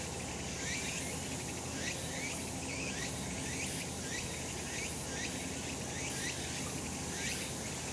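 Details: On a sunlit summer mountain, cicadas keep up an unbroken hissing buzz, with brief rising chirps repeating at a steady pace over faint low-pitched ambient noise.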